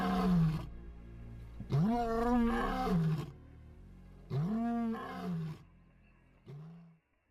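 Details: Lions of the Mapogo coalition in Sabi Sand: deep, drawn-out moaning roars, each swelling then sliding down, three main calls spaced a couple of seconds apart, ending with a shorter grunt.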